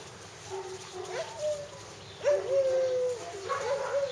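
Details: Hungarian Vizsla puppies whining, with thin drawn-out tones that hold level or sag slightly, one long whine in the middle flanked by shorter broken cries.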